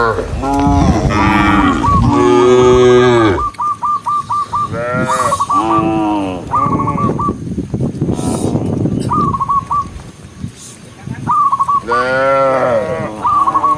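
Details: Tame cows herded along a green forest road in the rain, running together. Deep, drawn-out moos with rich harmonics are heard, several overlapping at the start and more around six and twelve seconds. Short, stepped, wavering tones repeat between them.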